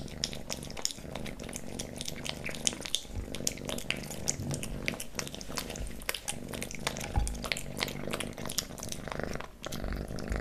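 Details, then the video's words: Pet kitten Leo licking and chewing wet pate and creamy treats in a close ASMR recording; rapid moist lapping clicks over a continuous low purr, with occasional soft knocks. "Kitten eating Pate, Stick & Creamy Treats ASMR"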